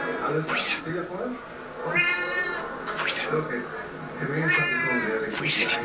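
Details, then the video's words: Small female house cat indoors watching a moth that came inside, giving a series of about five short, rising-and-falling meows with bright harmonics, spaced roughly a second apart, with a faint low hum underneath. ""She-Boss" is watching a moth and discuss with the insect"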